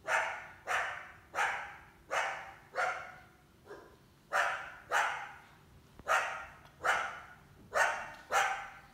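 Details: Summer coyote with at least one large pup, barking as she tries to hunt a house cat kept indoors; a steady string of harsh, sharp barks, briefly pausing near the middle, then resuming in quick succession.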